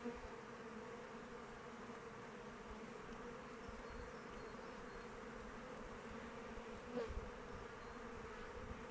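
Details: Outdoors in open weather, honey bees fly around their hive, producing a constant, swarming buzz with a firm mid-pitched band. A short louder burst comes toward the end as one bee passes nearby.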